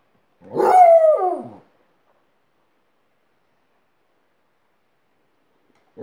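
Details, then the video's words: Alaskan Malamute howling while teaching a second dog to howl; a single harmonic howl just over a second long that wavers and then slides downward, followed by silence, with another howl beginning at the very end. "Alaskan Malamute's Howling School"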